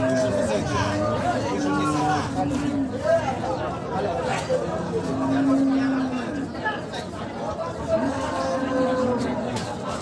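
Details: Cattle at a Bangladeshi livestock market, one perhaps a pregnant cow that will not stand; low, long moos come and go among constant talking, bargaining voices and crowd noise.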